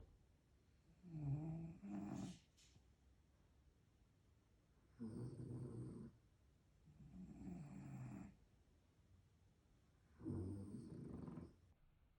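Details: French Bulldog (Canis familiaris) snoring: deep, rattling breaths, each rumble repeating every few seconds.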